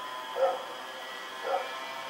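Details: Night recording from October 7, 2018 of Rex the dog running about: two separate single barks about a second apart, with a faint steady high hum underneath.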